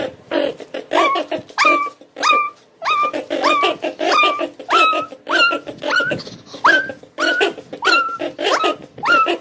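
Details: Mini Bichon dog in a pet playroom, giving a steady run of high, rising whine-yelps with clear harmonics, one roughly every 0.6 seconds, about fourteen in all, with quiet room noise between.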